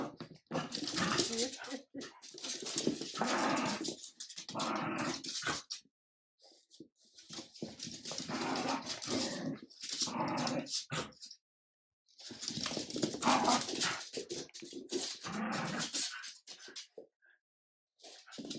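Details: Jack Russell terrier asserting leadership over a pestering French bulldog puppy; bursts of growling and scuffling noise alternate with brief quiet pauses.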